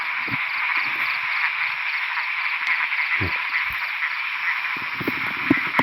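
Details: Khiat ta pat frogs calling during rainfall in the wild as a hunter searches for them; continuous rapid grating croaks form a thick chorus, broken by occasional footsteps and rustling close by.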